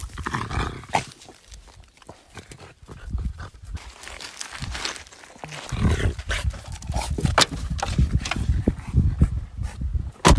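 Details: French bulldog attacking logs on a riverbank, giving low, rough rumbling grunts in uneven bursts, mixed with sharp broadband scuffing and knocking noises from the struggle with the wood.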